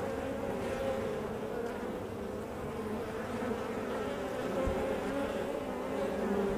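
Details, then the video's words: Honey bees at the hive entrance: a steady, dense buzzing drone of many overlapping wingbeats, with layered humming tones that shift slightly in pitch. The sound holds steady throughout, with no other clear sounds. "Honeybee Hive Entrance"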